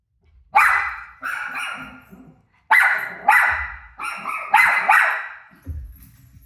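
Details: Pet dog barking at its own barking shown on TV; loud sharp barks in quick pairs and triplets, each ringing briefly, with short pauses between.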